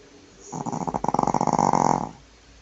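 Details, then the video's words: Female Shih Tzu asleep on her back, snoring loudly indoors; a single rattling, buzzy snore lasting about one and a half seconds, swelling and fading smoothly. "Cachorra roncando"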